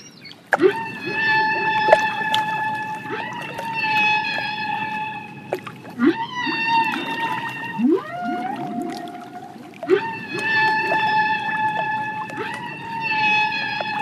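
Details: Killer whale (Orcinus orca), calls.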